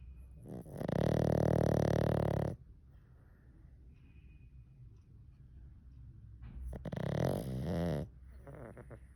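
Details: Sleeping pug giving two loud, rasping snores about six seconds apart, each a drawn-out vibrating rumble lasting one to two seconds, with quiet indoor room noise between them.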